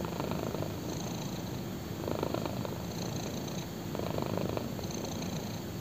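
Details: Black kitten purring contentedly on a thigh; soft continuous rumble rising and falling in breath-paced pulses roughly every two seconds, intimate and quiet.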